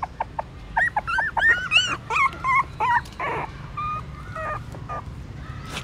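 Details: Newborn puppies suckling their mother's milk in the stupa of a pagoda in Siem Reap, Cambodia; high thin whimpers and squeaks, many short wavering cries in quick irregular bursts, overlapping, with a faint low hum beneath.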